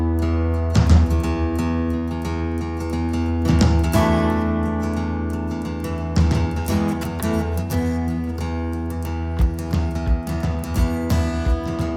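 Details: Strummed acoustic guitar music plays throughout, with steady plucked chords and no animal voice.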